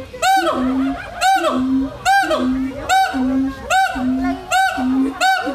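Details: A siamang at Lembang Park Zoo, Indonesia, gives loud, ringing whoops, each followed by a low steady hoot, repeating about once a second, a call used to attract a mate.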